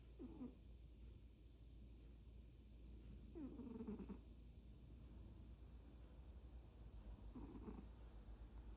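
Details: Domestic cat sleeping and daydreaming, snoring: three soft, breathy, slightly tonal snore bursts, each under a second and spaced roughly three to four seconds apart, over a quiet indoor background.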